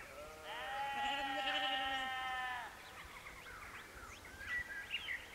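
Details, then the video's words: Sheep at sunset at Canons Ashby in West Northamptonshire, England, give one long, steady, strongly harmonic bleat lasting about two seconds, followed by quieter bird twitters in the background. "Sheep at Canons Ashby"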